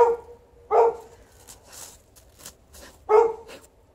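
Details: Alaskan Malamute outside with a Golden Retriever, digging and rolling instead of coming in; three hearty barks, two close together then a longer gap before the last, with soft scuffing and clicks in between.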